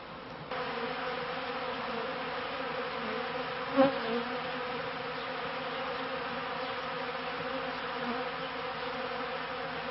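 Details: Honeybees kept by a beekeeper, filmed around the end of the 1995 season and start of 1996; a steady droning hum with layered low tones, broken near the middle by a short sharp knock, then the buzz continues evenly.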